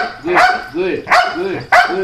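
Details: Belgian Malinois named Lucky during protection work: three short, sharp barks at roughly half-second intervals, with a person repeatedly praising "good" between them.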